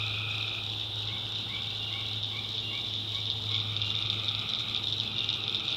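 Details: Night chorus of tree frogs in the swampy backwoods of North Carolina, a quick run of short, rising chirped notes over a dense, continuous high insect buzz and a low steady hum.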